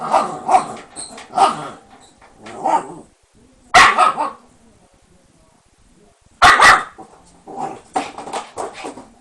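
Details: Confined Shiba Inu dog, kept behind lattice bars for being too mischievous, gives sharp broadband barks in short bursts with quiet gaps, some higher-pitched yelps mixed in.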